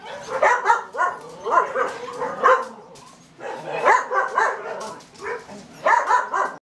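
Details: Red standard poodle puppies aged seven and a half weeks, yipping and whining in quick clustered bursts, several short high cries in each group, with a pause of about a second between groups.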